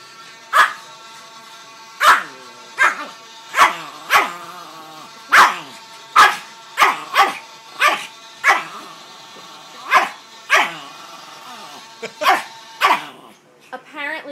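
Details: Pet Chihuahua named Tyson barking in protest at a vuvuzela sound played from a phone app: sharp, harmonic yaps repeated roughly every second, about fifteen in all, over a steady droning horn tone.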